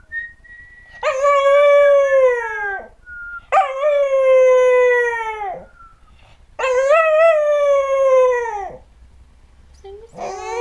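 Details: American Cocker Spaniel, a singing dog recorded in 2008, howling in three long drawn-out notes of about two seconds each that hold steady and then slide downward, with a fourth howl just starting at the end.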